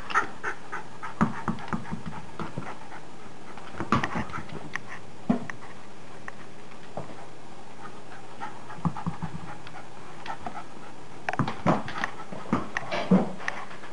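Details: Maggie, a pet dog, panting indoors during the game she plays when the weather is bad; quick breathy bursts come in uneven clusters, with a few soft knocks and brief squeaky tones in a small room.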